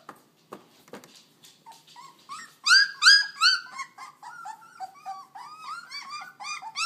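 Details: Very young puppies, not yet three weeks old, squealing inside a small room; a few faint clicks give way to loud, arching whines from several pups, repeated rapidly and growing busier toward the end.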